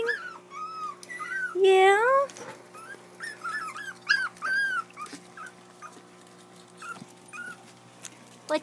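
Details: Crying puppies that want to play: repeated short arched whimpers, one long wavering squeal near the second mark, then softer yips and whines fading out, over a low steady hum.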